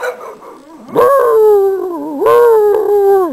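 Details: A neighbour's domestic dog howling: two drawn-out, tonal howls that start with a sharp rise, then slowly slide downward, with clear harmonics; a man's voice is briefly heard.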